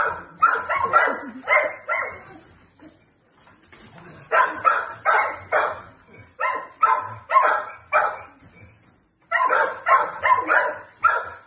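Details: Four-year-old male Jack Russell Terrier x Plott hound cross, in the Wilmington, North Carolina area, playing with a flirt pole as another dog barks along; clusters of quick barks separated by short silences, a faint voice in the background.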